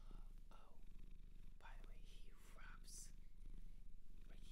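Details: Domestic cat adopted from a shelter in Japan, indoors, purring in a steady low rumble with a rhythmic pulse in loudness, over soft whispering and light rustling close to the microphone.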